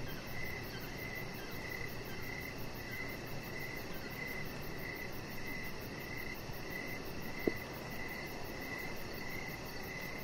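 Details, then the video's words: Outdoor evening chorus of crickets by a deck where a chihuahua puppy lies; rhythmic chirps repeat steadily, with a single sharp click partway through and a continuous low hum underneath. "3 Hours Of Chihuahua Puppy Laying On Deck with Cricket Sounds"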